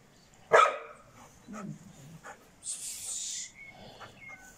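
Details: Šarplaninac puppy named Bitzer, six months old, gives one sharp, loud bark, followed by quieter low grumbles, a short hissing burst and faint background noise.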